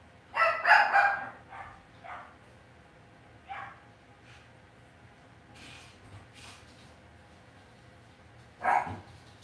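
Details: Young Cavalier King Charles Spaniel puppies kept indoors in a home puppy pen give a quick burst of three or four high yips, then scattered softer squeaks, and one more loud yelp near the end.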